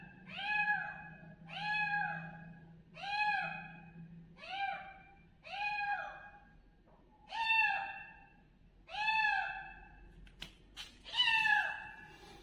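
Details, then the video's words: Kitten loudly calling, giving a long series of about eight arched meows spaced roughly a second apart, with a low background hum early on and a few sharp clicks near the end. "Kids Kitten Loudly Calling Meow meow"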